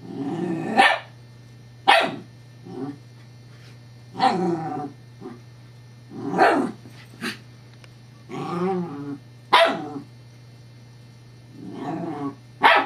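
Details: Scottish Terrier named Evangeline, female, playing with a rolling teething pacifier toy on 7-12-11. Irregular short barks mix with throaty, warbling growls and grumbles across the recording, backed by a faint steady hum.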